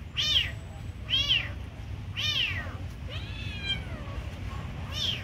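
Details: Kitten being given food, meowing in quick succession: short high arched mews about once a second, one longer drawn-out wavering cry in the middle, with low background hum.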